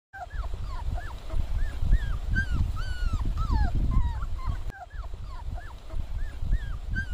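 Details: Labrador Retriever puppies crowded in a small box. A rapid, overlapping stream of short squeaky whines and yelps, many rising then dropping, carries on throughout over a deep rustling rumble of the pups moving about.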